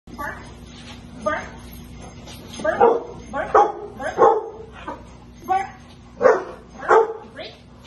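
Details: Female Rottweiler doing protection bite-development training with her owner in a basement on March 24, 2021. Loud, sharp barks come in irregular bursts about once a second, mixed with a person's spoken commands.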